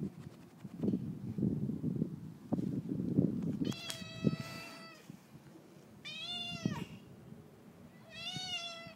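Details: Friendly male neighbour's cat at feeding time; shuffling and clatter first, then three loud, harmonic meows, the first long and level, the later two shorter with a rising-falling shape.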